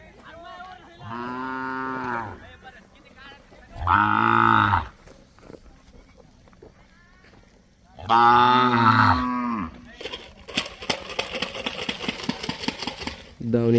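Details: Young Khillar and Mysore bull calves tied at a farm stall in Maharashtra, offered as bullock-race stock, lowing in long harmonic moos, three calls over fourteen seconds, with a man speaking Marathi and rustling noise between.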